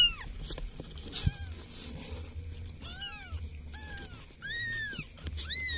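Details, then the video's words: Village cat asking for help with a handful of thin, high mewing cries, each bending downward, spread over a few seconds against a steady low hum and faint background rustle. "SUARA KUCING MINTA TOLONG"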